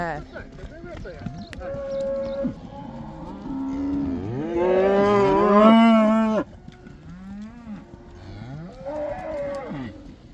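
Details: Black cows in the Netherlands returning to pasture for the 'cow dance' (koeiendans), several moos overlapping: deep drawn-out lowing calls, one long loud bellow swelling in the middle before cutting off, then softer moos.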